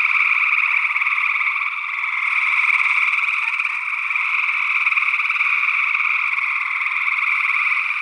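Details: Early June 2022 night chorus of gray tree frogs in Northwest Wisconsin, recorded on an ORTF condenser pair: many overlapping rapid trills forming a steady, rattling wall of sound with gentle rises and dips in loudness.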